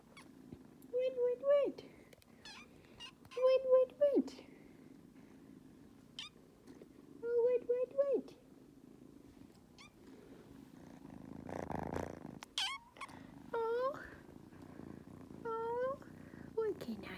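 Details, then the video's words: Two kittens on a cat tree demanding attention indoors: repeated harmonic meows, some long and falling at the end, others short and rising, coming in bursts every few seconds, with a person talking softly between them. "Meowing kittens on a cat tree"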